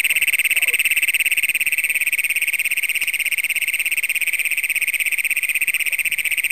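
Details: At night in Brown County, Minnesota, on June 27, 2010, Great Plains toads, the county's first documented, keep up a continuous high buzzing trill of fast even pulses, captured with a Canon PowerShot SX100 digital camera.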